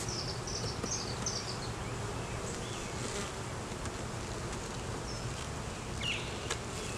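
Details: Honey bees from a hive with a laying queen and honey, buzzing in an unbroken low drone as the colony is inspected; short high chirps sound early and late, recorded on a Canon Rebel T6 DSLR.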